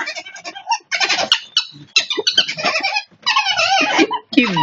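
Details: Ferret squeaking in choppy, wavering bursts, some notes bending up and down, several separated by brief pauses, with soft background voices.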